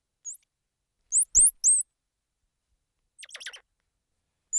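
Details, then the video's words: Squirrel monkey: a few piercing, high, hooked chirps, a brief rattling, buzzy trill midway, and a last lone chirp. Otherwise silent. "Squirrel Monkey Sound"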